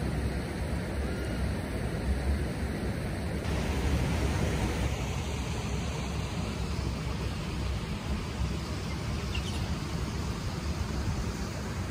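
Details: Steady broadband rushing noise fills the recording at an even level, with no animal calls standing out.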